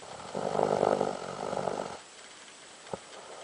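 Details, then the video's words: A Doberman dog snoring loudly, like a man: one strong, rough, vibrating snore lasting about one and a half seconds, followed by quiet and a single short click-like breath. "Храп собаки добермана меня сразил."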